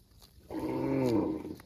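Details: Cow mooing to call its extended family: a single low, drawn-out moo of about one second that bends slightly downward at the end, following a quiet pause with faint background rustle.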